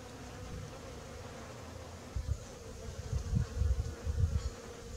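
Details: Honey bees busy pollinating a backyard garden in the morning; a steady low buzzing hum with a faint higher overtone, broken by louder low rumbling bursts in the second half.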